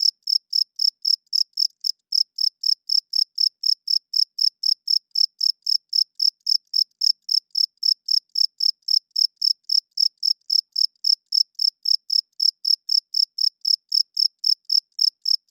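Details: Nocturnal cricket song: a long, loud series of sharp, high chirps, four per second, with a single short gap early on. No other noises are present.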